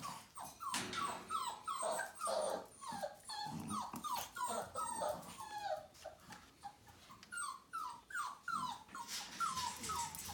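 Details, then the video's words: Whippet puppies one month and three days old, indoors, make a run of short, falling whimpers, one after another, some squeaky and overlapping, with brief rustling between them. "Bébés whippets 1 mois et 3 jours"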